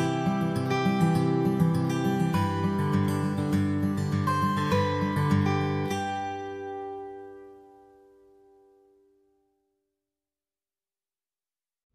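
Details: Strummed acoustic guitar music plays for about six seconds, then fades out to silence, with no animal voice heard.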